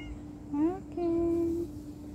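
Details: Domestic cat meowing while separated from its owner indoors: a short rising meow followed by a longer, steady, level-pitched meow, with a faint constant hum underneath.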